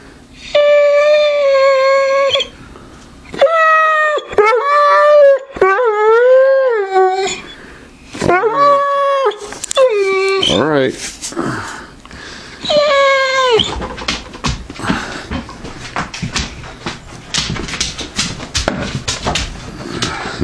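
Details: Tootsie, a female Neapolitan Mastiff, pleads for a newly emptied peanut butter jar in a small room in January 2015. She makes a run of high, wavering, yodel-like whines with short pauses between them. Shuffling and handling noise follow, and a person murmurs briefly.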